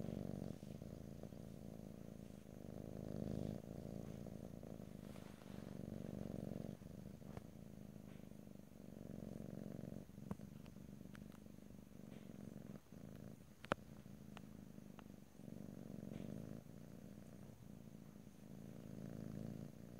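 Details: A cat purrs steadily in a close stereo recording, deep rhythmic rumbling waves rising and falling with each breath, broken by occasional sharp clicks and light handling noises.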